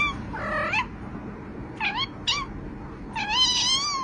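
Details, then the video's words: Domestic cat giving several short, high meows: a rising-falling call near the start, two quick brief mews around the middle, then a longer wavering meow at the end, over a low background hum. "This is the cutest sound."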